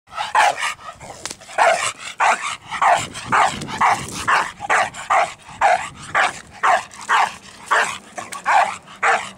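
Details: A dog barking in a rapid series of sharp, harsh barks, about two per second, with short pauses between bursts and a faint low hum underneath.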